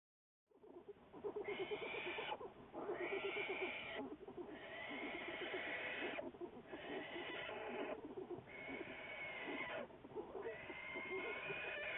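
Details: American black bear under study by wildlife researchers, recorded February 10, 2014; a steady, harsh, wavering cry with layered overtones, in several long bursts broken by brief dips, running almost the whole time.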